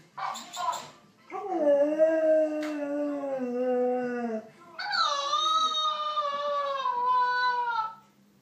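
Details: Husky giving long, drawn-out tonal howls indoors: a lower wavering note held for about three seconds drops away, then a higher, brighter howl slides slowly downward; brief noises come before the howls.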